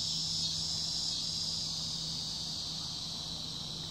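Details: A cicada's steady, hissing summer buzz drones on without a break, high-pitched and unchanging.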